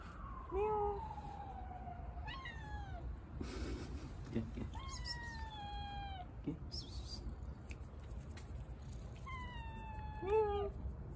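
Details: Little stray cat on the street after being given water, giving several drawn-out meows, some falling in pitch, spaced a few seconds apart, with low outdoor rumble and brief clatter between calls.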